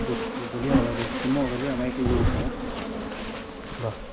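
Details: Wild honey bees buzz during a 2022 honey-hunting season: a low, steady hum with wavering tones, and faint voices underneath.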